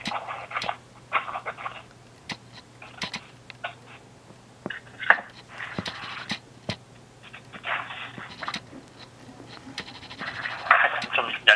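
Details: Munchkin cat chattering indoors in a small room: short bursts of quick, clicking chatter, roughly one burst every second or so, with sharp dry clicks between the bursts and a faint low hum underneath.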